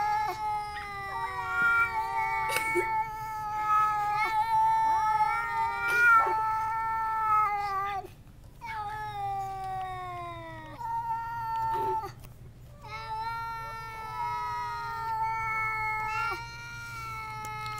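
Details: Domestic cat yowling at a visiting cat through a screen door, sustained harmonic wails bending up and down, repeated long calls broken by brief pauses and occasional clicks, low steady hum underneath.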